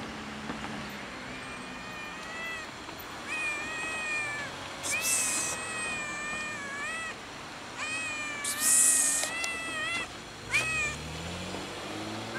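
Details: Fluffy, oddly colored solitary male cat sitting on a gas enclosure, meowing while waiting for someone to give him food; a series of drawn-out, wavering meows with short broadband clatters and rustles between them.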